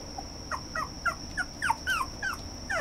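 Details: Red toy poodle uttering a fast string of short, high, downward-sliding whimpers, roughly three per second, over a steady faint electronic hum.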